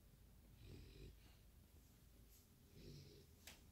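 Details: French Bulldog asleep and snoring indoors: two rough, low rumbling snores about two seconds apart, each carrying a raspy wheezing edge, with quiet room hiss between breaths.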